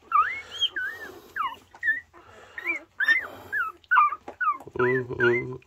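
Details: Border Collie, a mother three days after giving birth to a litter of six puppies, kept indoors. Squeaky, high whimpering cries rise and fall in quick, irregular succession, ending in a longer harmonic wail, with soft human talk nearby.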